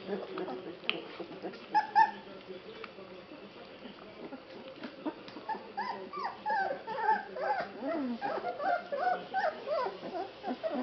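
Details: Basset Hound puppies at 21 days old, from a litter born in September 2011 at a Polish kennel, at feeding time: many overlapping short squeaky whines and yelps rising and falling, growing busier and louder in the second half.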